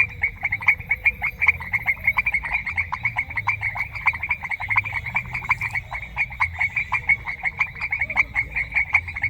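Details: Frogs in a semi-humid grassland in a rural setting give loud, fast series of clicking croaks, pulses packed closely and overlapping among several callers, steady throughout with quiet low background.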